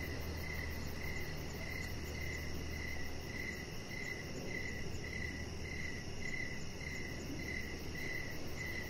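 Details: Chirping crickets on an evening beside a deck decorated with lights: repeated bright chirps coming a little faster than twice a second, steady throughout, over a low hum that fades partway and constant broadband noise.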